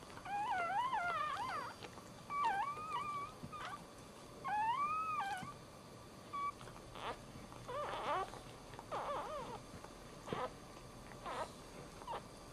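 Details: Dog giving birth while standing at home: high, wavering whines with strong overtones come in several bursts of one to two seconds. Shorter, fainter cries follow, with a quiet household background.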